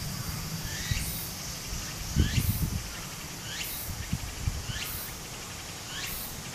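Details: Cicada in summer beside a small stream in Japan; short rising buzzy chirps repeat about once a second over a steady low rush of flowing water, with a few louder splashes near the middle.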